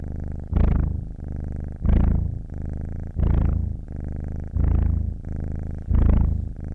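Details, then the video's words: Domestic cat purring with audible breathing: a low, steady rumble that swells with each breath, strong bursts recurring roughly every 1.3 seconds, quieter droning between them, no other sounds. "Som de gato ronronando - som de ronronar de gato"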